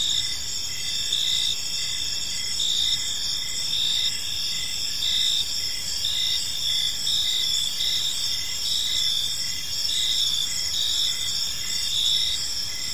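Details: Several crickets keep up a continuous evening chorus in a park, bright high trills swelling and fading in uneven pulses against a faint low background hum.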